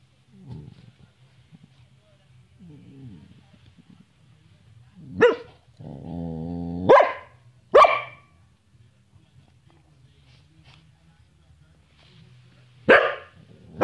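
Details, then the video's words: Bonnie, a pet Samoyed, talking and playing: sharp barks spaced a few seconds apart and a drawn-out harmonic yowling vocalization in the middle, with a person's low coaxing voice between them. "Bonnie the Samoyed - Takling and playing"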